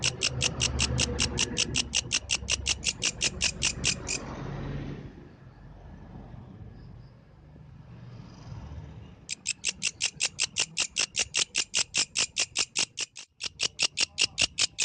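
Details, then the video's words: Night-time song of a yellow grasshopper: fast, regular rasping pulses for four seconds, a break of about five seconds with only soft background noise, then the high scratchy pulsing resumes steadily to the end. "The Melodious Sound of the Yellow Grasshopper, Authentic from the Night Nature"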